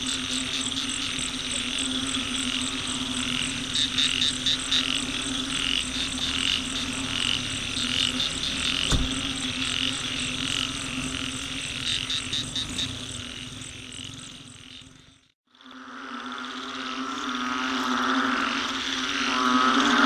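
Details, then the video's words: Dense frog chorus by a roadside, smartphone recording: rattling high pulses and a steady low drone fill the first fifteen seconds, then a brief silent gap before the chorus returns fuller. "Frog Symphony"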